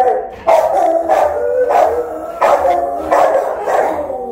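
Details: Rottweiler guarding the house while its owner is away, filmed by a phone camera left recording: loud, full barks repeated about every 0.6 seconds in a steady run of seven or so, each a short harsh burst.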